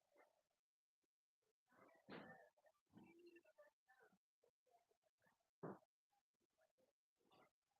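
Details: Three-week-old English Cocker Spaniel puppies at a kennel, eating food for the first time: faint, scattered squeaks, whimpers and grunts in short irregular bursts, one louder squeal near the middle, with quiet gaps between.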